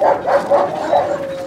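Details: Yelping dog at a husky kennel during a recall-from-free-play session: four quick, high-pitched harmonic yips in little more than a second, with a thin sustained whine underneath.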